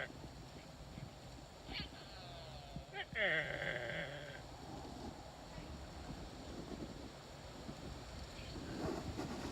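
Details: A female axis deer gives a brief, high, bleating call; she seemed to be looking for something, perhaps a fawn.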